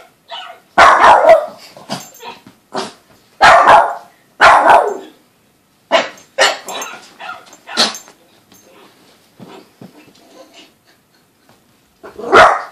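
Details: Female Boston Terrier puppy, normally calm, barking excitedly at something on television; loud, sharp barks come in separate bursts, about six spread irregularly across the clip with quieter yips and pauses between them.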